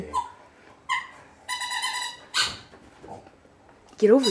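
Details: A frightened Boston Terrier–pug mix, scared of a Gatorade bottle, gives short yips and a drawn-out, high, harmonic whine, with people talking nearby.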